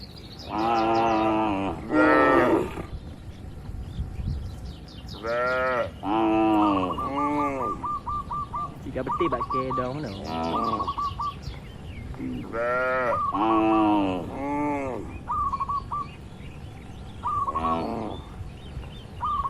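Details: Cattle in a quiet barn, eating, with natural unedited moos: several loud, harmonic lowing calls in bursts of one to two seconds, some rising and falling, repeated through the clip, with short high squeaky calls and background barn noise between.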